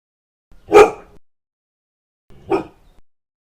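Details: Two single dog barks, described as aggressive, about two seconds apart, the first louder and sharper, with brief quiet between them.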